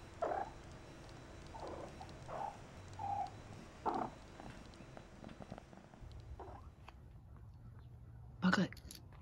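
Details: Persian kittens Bug and Maisie, shaded silver and shaded golden, about 12 weeks old, giving short mid-pitched mews in irregular bursts, roughly seven across nine seconds, the last one loudest, over a low steady background hum.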